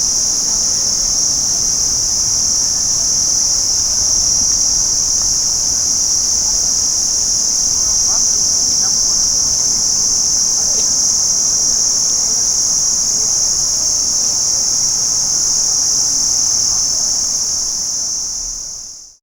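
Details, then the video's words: Crickets in daytime keep up a continuous high, ringing trill from many callers, holding steady before fading out at the very end. "Cricket insects Day04 - Sound Effect HD"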